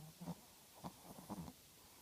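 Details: Chihuahua puppy snoring in its sleep: three soft, breathy snorts in two seconds, the last one longer and doubled, each separated by near silence.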